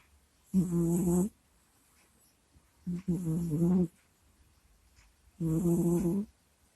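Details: Domestic cat Kusya snores and grunts in its sleep near a microphone. Three long, low rasping snores, one broken into a double pulse, come about every two and a half seconds in a quiet room.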